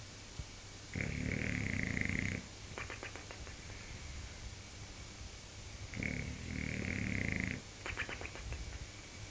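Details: Bulldog asleep, snoring loudly like a motorbike engine: two cycles about five seconds apart, each a harsh rumbling inhale then a rapid fluttering, clicking exhale.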